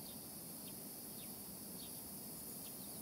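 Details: At sunrise, a steady, high, hissing drone of many cicadas calling together, with a bird's short, thin downslurred whistles breaking through every half second or so.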